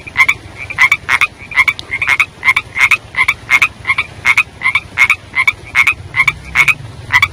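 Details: Young frogs heard during the rainy season, giving brisk broadband croaks with a bright tonal centre, delivered in rapid, slightly uneven pairs and singles, a low hum in the background.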